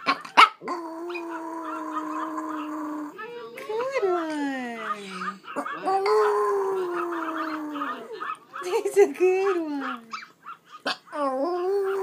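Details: Pomeranian dog howling indoors, long sustained mid-pitched tones that hold steady then slide down, a second long howl bending slowly lower, broken by short yips; a person talks and praises the dog throughout.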